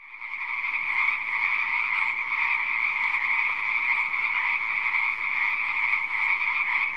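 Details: Many frogs croaking together in a pond, a dense unbroken chorus with a steady buzzy hum of overlapping calls that swells in within the first second and holds an even level throughout.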